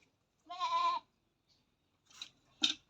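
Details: Goat during artificial insemination on a farm; a single short harmonic bleat lasting about half a second, followed by a couple of brief soft knocks.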